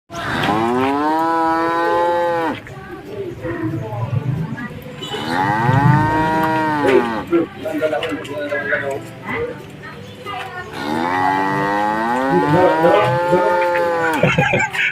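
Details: Cattle intended for Qurban sacrifice in 2024, being loaded onto a vehicle, giving three long, loud moos, each swelling then sliding down in pitch over two to three seconds, with shouting and handling noises between calls.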